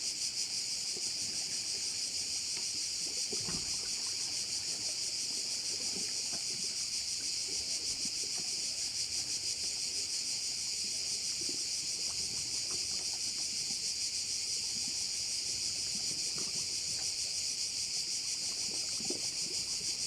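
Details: A continuous shrill insect drone from crickets beside a bay on Korčula, Croatia, holds steady and evenly pulsed throughout, with scattered soft clicks and faint low sounds below.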